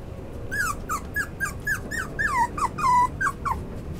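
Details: Black Miniature Schnauzer giving a quick run of about a dozen short, high, whining yelps that slide downward in pitch, some drawn out longer, spread over three and a half seconds indoors.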